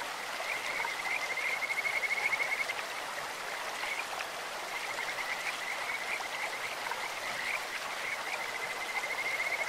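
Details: High pulsed trills of Kajika frogs, whose voice resembles a bird's or an insect's, rise from a clear stream: a long rattling run near the start, then two further bursts, all over a continuous wash of running water.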